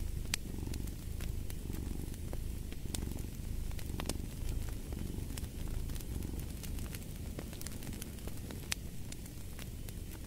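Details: Steady purr of a domestic cat mixed with fireplace ambience: low buzzing rumble pulsing gently about once a second, with many sharp wood crackles and snaps ticking across the whole stretch.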